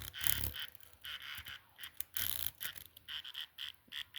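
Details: Chirping cricket, nature's thermometer that sings faster in warmer air: a rapid series of bright, clipped chirps, several per second, broken by two loud rustling bursts of noise.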